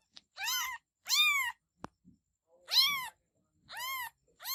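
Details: Kittens meowing: loud, high, arched cries each lasting about half a second and repeated every second or so with short pauses, a sharp click between them and faint rustling in a small room.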